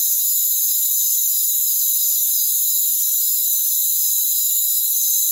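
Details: Crickets in a rainforest form a dense, steady high-pitched chorus of layered shrill trills, a continuous wall of insect sound with no low tones at all.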